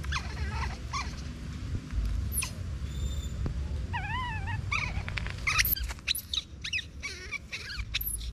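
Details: Baby monkey crying after being separated from its mother: short, wavering, whimpering cries with quavering harmonics, several brief bursts through the clip, over a constant low rumbling background noise.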